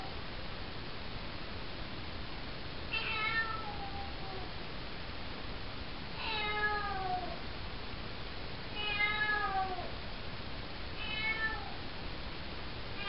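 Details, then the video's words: Four-month-old calico kitten named Cocoa, indoors in a bathroom at night, meowing in a way heard as "hello": four drawn-out, harmonic meows that fall in pitch, roughly every three seconds, over steady low background hiss. "Our 4-month old kitten saying, "HELLO"!"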